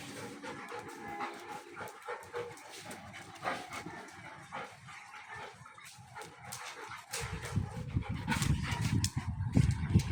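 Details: Golden Retriever puppies in Dubai give soft, high whimpers and short yips over a low background rumble.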